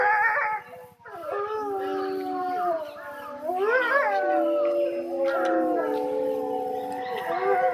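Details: Captive grey wolves at Tama Zoological Park in Japan, about 3 in the afternoon, give a chorus of layered howls, long sustained notes bending up and down, with a brief quiet dip before the voices swell again.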